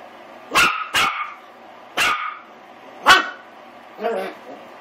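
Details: Willie, an eight-week-old Pomeranian/Miniature Australian Shepherd cross puppy, barking while trying to kill a door stop: five bright, clipped yaps about a second apart, the first two close together, the last softer.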